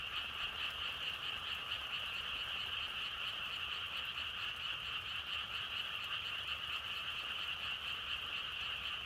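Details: Dense, even croaking of many frogs forming a steady shimmering chorus, with almost no low wind noise beneath it.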